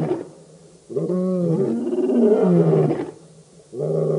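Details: Birmingham Boys lion coalition at the dam, Djuma Game Reserve in the Sabi Sand, Kruger Park, South Africa, August 2016: a loud, drawn-out moaning roar with rich layered harmonics, falling in pitch, then another roar starting.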